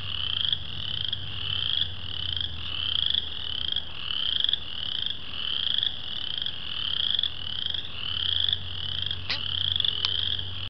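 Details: Wood frogs, western chorus frogs and spring peepers calling together in Bacon Woods: a dense spring chorus of high, rising peeps and trills repeating steadily without pause.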